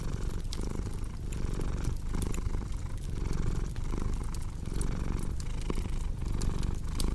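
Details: Cat purring beside a crackling fireplace in a relaxing sleep mix: a dense, low, continuous rumble that rises and falls in breathing cycles, with frequent bright clicks and pops from burning wood.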